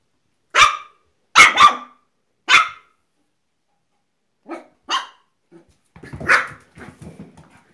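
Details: Apricot Miniature Poodles giving high, sharp barks, three loud yaps in quick succession, then softer scattered barks and a rougher, noisier bark near the end.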